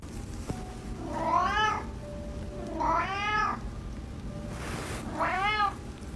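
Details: Reddington, an adopted orange house cat once shy and silent after neglect and illness, now very vocal, gives three drawn-out meows about two seconds apart, each rising then falling, with a faint steady background tone.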